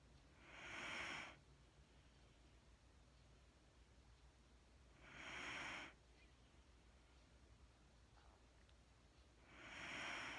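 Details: Mattie the Wheaten Terrier asleep, her hypnotic breathing heard as three soft, hissing breaths spaced about four to five seconds apart, steady and calm, with a quiet low background hum.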